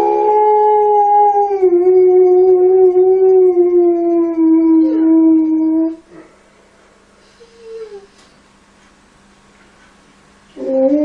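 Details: Alaskan Malamute puppies at play with kids: a sustained six-second howl, steady then gently sagging in pitch, followed by quiet, a short higher yelp and a fresh howl starting at the end.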